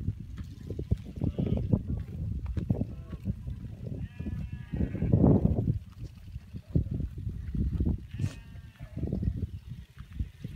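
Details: Free-pastured cashmere goats herded with sheep by motorbike across wild grassland in North Eastern Mongolia; several wavering bleats rise above a steady low rumble of engine and trampling hooves, with a louder, longer bleat midway and fainter ones near the end.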